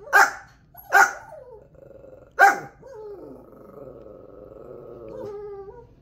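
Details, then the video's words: Pet dog Jepey, an active chaser of animals, barks after being told a cat or dog is outside: three loud, sharp barks in the first two and a half seconds, then a long, wavering whine with low growling underneath. "How to make your dogs bark."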